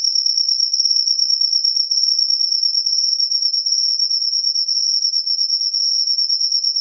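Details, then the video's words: A cricket sings after the rain, its shrill, steady trill ringing at one high pitch with a fast, fine pulsation, uninterrupted and with nothing else audible. "suara jangkrik selepas hujan"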